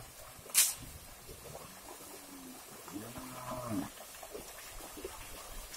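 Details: Cattle herd crossing a river while being moved to a new grazing site, herders on the bank by an oil palm plantation; two low drawn-out moos, the second wavering, after a sharp crack, with splashing water and background murmur.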